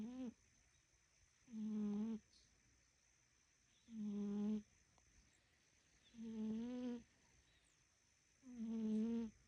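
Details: Fat pet cat snoring during a nap time: rhythmic, buzzy, harmonic rasps lasting under a second each, repeating roughly every two and a half seconds, five snores in a quiet room with a steady faint high hum.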